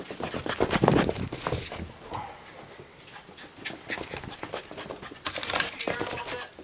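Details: A female Cardigan Welsh Corgi puppy pants rapidly in breathy bursts, with a few soft whimpers and a person talking; Cardigan Welsh Corgi.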